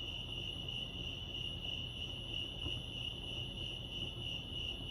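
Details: At Lake Arrowhead in California, crickets keep up an unbroken high chirping trill, fast and even, with soft low-pitched ambient noise underneath.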